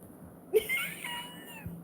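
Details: A domestic cat, kept indoors, described as having a full breakdown: one drawn-out, wavering meow with a sharp onset that slowly fades over about a second, in a quiet small room.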